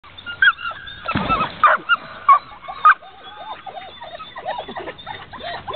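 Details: Labrador Retrievers in the background barking and whining, wanting to get into the water while a Curly Coated Retriever swims; short high whines and sharp yelps repeat about once every half second, with splashing noise.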